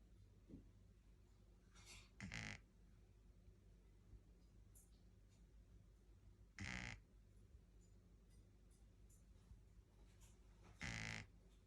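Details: A 10-week-old Shih Tzu puppy snores, with loud breathy rasps coming every four seconds or so.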